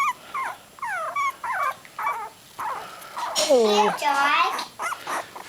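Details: Three-week-old puppies, eyes newly open, held indoors: a run of short, high, bending whimpers and squeals, some rising then falling, followed by a louder drawn-out wavering cry, with a woman talking nearby.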